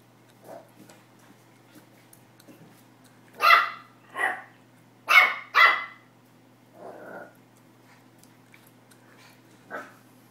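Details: Excited Pomeranian puppy playing with a tennis ball, barking for the first time: scattered soft yips, then a burst of four loud high-pitched barks in quick succession, followed by a quieter whine-like bark and a final short yap.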